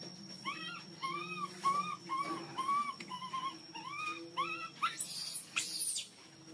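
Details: A hungry baby monkey cries loudly for milk, giving a steady series of short, arched, whistle-like wails, about two each second, ending in two harsh high squeals; faint low hum underneath.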